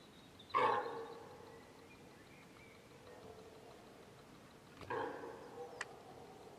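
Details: Deer hind calling for her calf, which was cut off by a group of wild boar; two abrupt nasal calls roughly four seconds apart, the first louder, followed by a faint sharp click.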